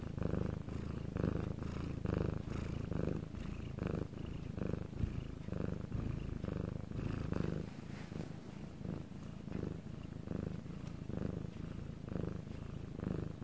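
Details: Domestic cat purring, recorded separately at night when quiet in Korea: steady low rumbling purr with rhythmic pulses roughly every second as the cat breathes in and out, continuous throughout in a quiet indoor setting.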